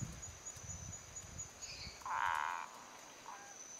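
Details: Male Boana multifasciata in Viçosa do Ceará, Brazil, switching from calm singing to a territorial call on seeing another male nearby, moving its paws. A single loud, rough, half-second nasal burst stands out, while Dendropsophus minutus give short, high chirps behind.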